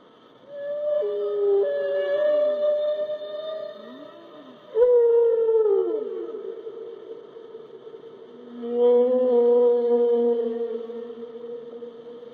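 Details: Whale calls as drawn-out harmonic moans, with a level tone broken by short downward glides, a sharp-onset moan sweeping steeply down, and a final long steady tone over a lower companion note.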